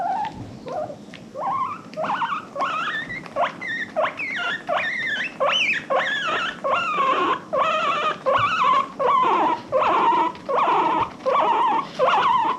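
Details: Pet guinea pig from an adopted herd, happy wheeking: loud, steady, squealing whistles, each rising then falling, repeated about every three-quarters of a second throughout. Quiet background.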